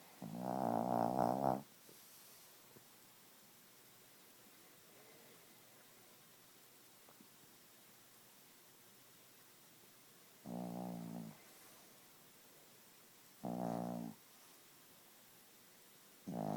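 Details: Gidget, a sleeping Chihuahua, snores loudly in short harmonic bursts about a second long, spaced several seconds apart with near silence in between.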